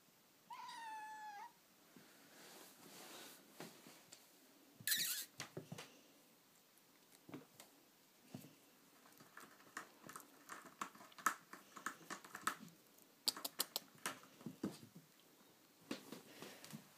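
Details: A British Shorthair kitten, 11 weeks old, gives one short, high, rising mew, followed by clicks and indoor rustling.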